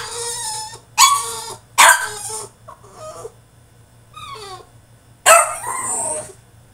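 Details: Caged French Bulldog in a tantrum, letting out loud harsh barks mixed with wavering, whimpering cries, the outbursts spaced irregularly about a second apart with short quiet gaps between.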